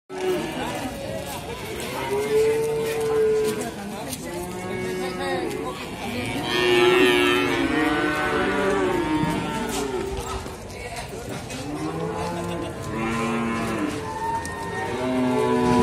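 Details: Simmental calves at the Sukorejo animal market in Kendal; several overlapping low, drawn-out moos with rich harmonics, some rising then falling, over a steady hum of market chatter and clatter.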